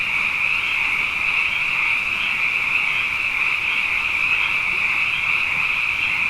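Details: Many frogs, numerous following two wet years, calling night after night: a strong, even, high trilling chorus with rapid overlapping pulses and nothing else audible.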